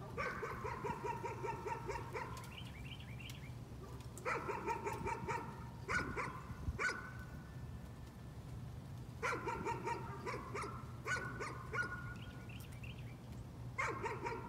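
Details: Nuisance barking by a dog: repeated bursts of fast barks broken by short pauses and a few higher yips, over a persistent low hum.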